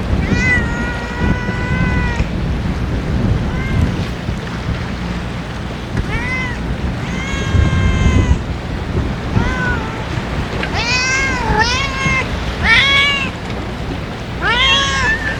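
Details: Ear-tipped stray cats being fed on a strong-wind day give a run of harmonic meows, some long and level, others short and bending, over a constant low rumble of wind.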